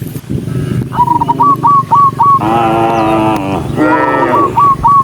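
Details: A herd of cows running down a country road; two drawn-out, rich moos in the middle of the recording, surrounded by quick, repeated whistled notes and a low rumbling background.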